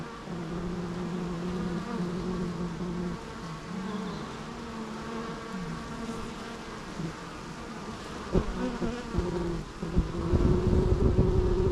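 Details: Steady low drone of bees, several humming tones layered and shifting slightly in pitch, growing rougher and louder toward the close.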